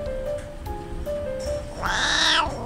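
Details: A black-and-white, Dalmatian-patterned male cat at a rescue cat café gives one short, harsh, dog-like barking cry, as it does when excited or annoyed at a shown toy or petting, over soft background music.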